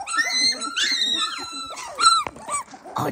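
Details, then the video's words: 18-day-old Dalmatian puppies indoors, giving loud, clear, tonal whines that slide up then down, several drawn-out squeals in quick succession with a sharp yip near the middle. "18 day old Dalmatian puppies"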